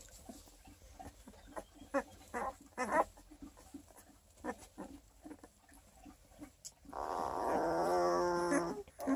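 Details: Twelve-day-old Redtick Coonhound x Black and Tan Coonhound cross puppies from a litter of eleven near Kingston, Ontario, Canada, eyes not yet open: soft snuffles and small clicks, then a drawn-out wavering nasal whine near the end.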